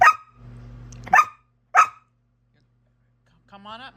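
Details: Australian Shepherd that uses talking buttons, upset and protesting at being refused a rawhide: three sharp, short barks in the first two seconds, then a brief higher whining tone near the end over a low steady hum.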